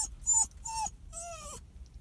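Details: Sad, crying dog whining in three drawn-out, nasal whimpers. The first two are short and steady, and the last is longer and bends downward at its end. A faint low hum lies underneath.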